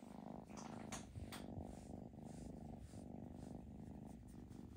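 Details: Rhythmic purr from a foster kitten during cuddling, a dense low vibration pulsing evenly, with occasional soft brushing and tapping noises on top.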